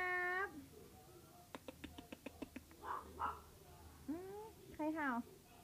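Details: Pomeranian. A Pomeranian opens with a steady, nasal whine, then lets out a rapid series of short, sharp yips. It ends with rising, wavering cries, over a faint background hum.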